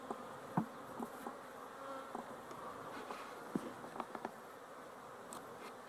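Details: A continuous, soft drone from a busy cluster of honey bees on 12-11-23, even in pitch and volume, broken by scattered small taps and clicks from the hive.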